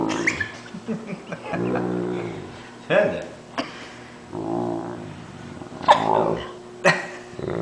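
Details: Great Dane making low, drawn-out moans like a water buffalo as someone pretends to bite his paw. Two sustained harmonic groans are mixed with people talking and short sharp noises.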